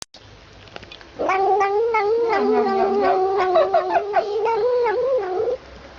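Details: A cat vocalizing while drinking from a feeding bottle: one long, wavering, nasal whine lasting about four seconds, its pitch wobbling up and down, after a few faint clicks.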